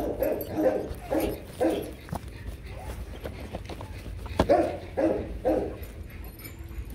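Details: Rottweilers Loki and Siro during a mating session, in which they tumbled over several times before finishing. A run of short, rhythmic, mid-pitched whimpering yelps comes in two bursts of about three each, with a pause between them.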